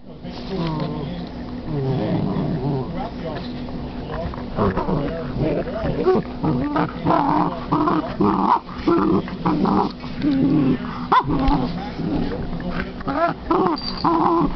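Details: A female Basset hound playing with her new toy grumbles and growls in low, throaty bursts, with a person's voice mixed in.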